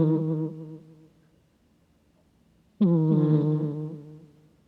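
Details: Asleep, a cat snores into a close microphone: a low, wavering, hum-like snore trails off, then after about two seconds of quiet another strong, buzzing snore starts abruptly and slowly fades.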